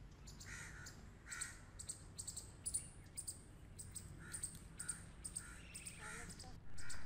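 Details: Several grey squirrels at play make harsh buzzing pulses roughly every half second, each a short rasp with a ticking edge. A low background hum runs underneath, and a louder noise breaks in at the very end.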